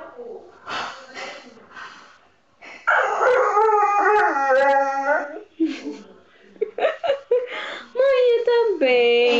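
A Bull Terrier vocalizes in long, tonal whines that bend up and down in pitch, mixed with short grumbling yelps. A person's voice is heard in the pauses, as if the two are trading remarks.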